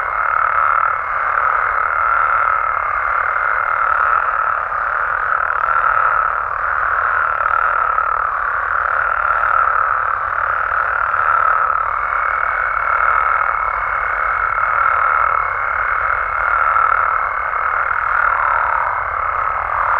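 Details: Nighttime amphibian chorus from Mexico, frogs and toads blending into a constant, rolling trill; a clear higher whistle-like tone sounds early, fades, then returns from about midway to the end.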